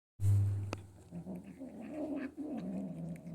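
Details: A female Manx kitten being fed makes deep, throaty, gremlin-like growls while eating, a rough rumble rising and falling in uneven bursts. It signals food aggression and warns others away from her meal.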